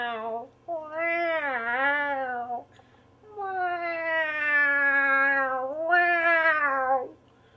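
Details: A cat answers a harmonica with a short meow, then two long sustained meows, the last swelling upward. Tone is slightly wavering and nasal, with brief pauses between calls.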